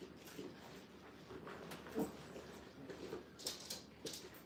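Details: Brittany puppies, five weeks old and new to their kennel playpen, make soft brief whimpers and a few short yips. The sounds are spaced irregularly against a quiet indoor background hum.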